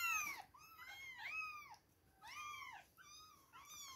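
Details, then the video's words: Two-week-old kittens at milk time, mewing in quick overlapping arched cries, high and thin with bright harmonics, several voices calling back to back in a small indoor space. "2 weeks old baby kittens, milk time! #cute kittens #kittensmeowing"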